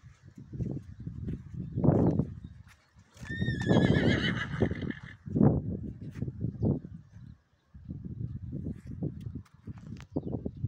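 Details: A stallion brought to a mare neighs once in the middle: a loud, drawn-out, wavering whinny that falls in pitch over about two seconds. Hoof clops and thuds come before and after it.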